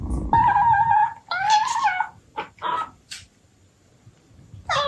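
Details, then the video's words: Abyssinian cat family indoors, mother talking to her kittens: a steady, sustained mid-pitched meow, a second rising meow, then short chirps and a final sharp call, over a low rumble at the start. "Cat Mom Talking to Her Kittens | Cute Abyssinian Cat Sounds"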